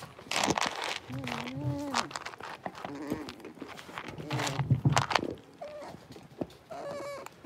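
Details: Six-week-old blenheim Cavalier King Charles Spaniel puppies, a litter of five, in a home puppy pen, give soft wavering whimpers and higher whines in short bursts, with people talking nearby throughout.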